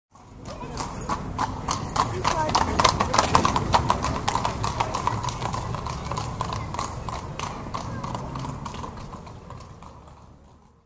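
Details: A horse pulling a carriage walks along a city street, its hooves clip-clopping steadily on hard pavement, with voices murmuring in the background.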